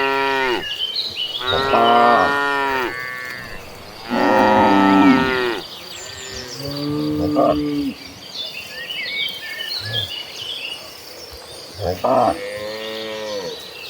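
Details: Cattle herd of dozens of cows moving toward a green pasture, giving repeated harmonic moos of one to two seconds each, overlapping at times, with softer distant calls between and birdsong twittering above.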